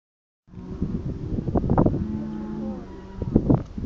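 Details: A herd of cows running over the hill near Second Valley Forest and Deep Creek Conservation Park, South Australia, filmed on a Galaxy S II phone; a drawn-out low moo with thudding hooves and rustling around it.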